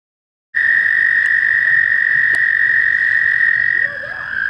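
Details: Warm May day, mating season: an American toad at a shallow pond near Warbler Bridge, Wehr Nature Center, gives a loud, unbroken high trill lasting about three seconds before softening, with a faint clicking sound during it.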